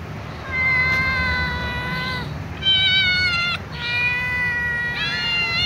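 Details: Little ginger cat meowing loudly alongside a young white cat, asking to be fed with other cats nearby; four loud, drawn-out, tonal meows in quick succession, some bending upward at the start, over a steady low background rumble.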